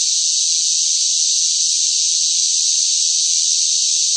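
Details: Cicadas calling loudly in the summer heatwave, producing a steady, sizzling high-pitched drone without breaks or changes in loudness; no other animals or background noises.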